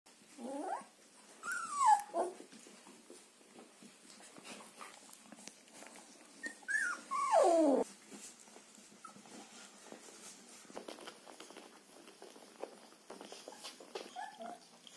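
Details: Border Collie puppies from the litter of Wiki and Crystal Mountain, dated 14 March 2021, give two loud, high whines that slide steeply downward, the first near the start and the second around seven seconds, with soft rustling and shuffling between.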